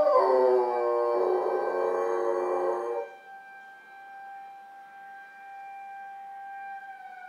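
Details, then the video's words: Female puppy howling from a window in response to the town's Saturday 11 a.m. emergency siren test. A rich, sustained howl for about three seconds, then only the steady, droning siren tone remains. "Puppy howling out the window"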